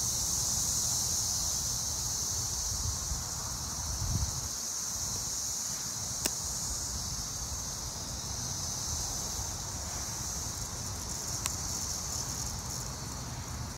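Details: Brood XIII Cassin's 17-year cicada males singing in chorus during mating season, June 20, 2024, Arrowhead Park, Naperville, Illinois, green ash woods: continuous high shimmering buzz holding steady throughout, with two brief sharp clicks and a low rumble near the start.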